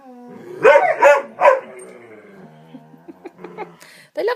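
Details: Three pet dogs playing and vocal indoors, excited as walk time nears: three sharp, loud barks in quick succession, then softer grumbles, yips and a final bark, with a person speaking.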